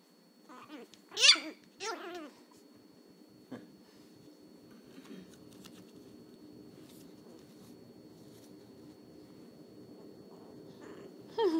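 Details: Angry Chihuahua puppy, still learning to bark, indoors: two sharp, high-pitched yelping barks close together near the start, then quiet room hum with faint rustles and one more yip at the very end.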